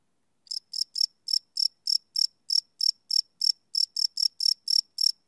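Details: After half a second of silence, crickets at night start up a run of high, clicking chirps, about three per second and slightly uneven, some pairs closer together; live field recording on a Sony PCM D100.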